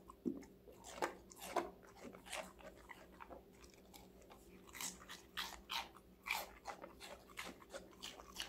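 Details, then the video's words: Five-month-old female Golden Retriever eating assorted vegetables indoors, with crisp crunching bites repeated roughly every half second, sharp broadband clicks and crackles, and a steady low hum in the room. "강아지 각종야채 먹방 l 사각사각사운드 🌿Various vegetavles🌿REAL SOUND"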